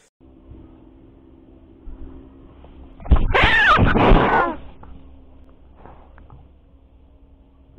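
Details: Alik the cat in a showdown, driving off intruding stray cats; after three seconds of low hum, a sudden harsh, noisy spitting burst lasts about a second and a half, then fades back to quiet background hum.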